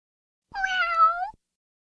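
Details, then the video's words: Cat meowing once, a nasal, level call that bends gently upward at its close, under a second long, with nothing else audible. "Cat Meowing"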